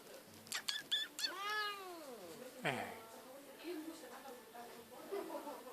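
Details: Domestic cat in an animal shelter, possibly waiting for food, gives one long arched meow that rises then falls over about a second, followed by a shorter harsh meow; quiet human voice and clicks around it.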